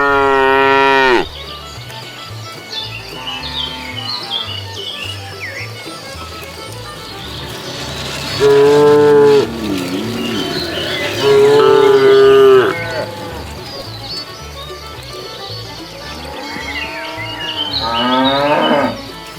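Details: Cows wandering leisurely along a road looking for food, giving loud, drawn-out moos with rich harmonics: one at the start, two longer calls near the middle and a final rising moo at the end, with quieter background murmur between.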